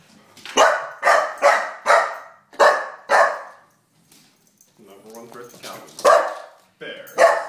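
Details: Four-month-old Golden Retriever puppy indoors in his living room, barking to defend his house from a stuffed bear: six sharp, harsh barks in quick succession, a pause with a person speaking, then two more barks.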